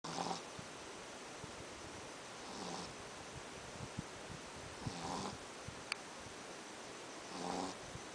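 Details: Gizmo, a flat-faced male Pekingese dog, snoring while asleep at night; rasping, breathy snores with a buzzy harmonic edge recur about every two and a half seconds over a steady hiss of room noise, with one sharp click midway.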